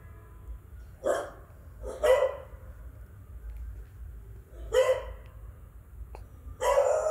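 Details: An adult beagle gives four loud, deep barks spaced one to two seconds apart, scaring a beagle puppy.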